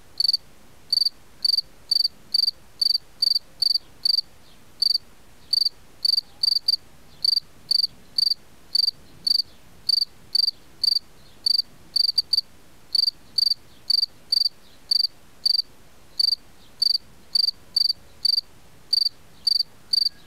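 A cicada gives short, shrill, pure-toned pulses, repeated steadily about twice a second.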